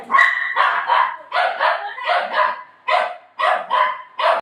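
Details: Playful golden retriever at home, having torn up a pillow while playing with its owner, barking in quick, sharp yaps, about eight in four and a half seconds, some paired closely and others spaced by short pauses.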